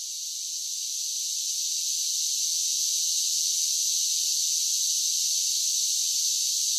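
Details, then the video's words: Summer cicada song: a shrill, hissing drone that grows louder over the first two seconds, then holds level and unbroken for the rest. "10 Hours of Cicada Sounds for Relaxation with Soothing Summer Nature Sounds"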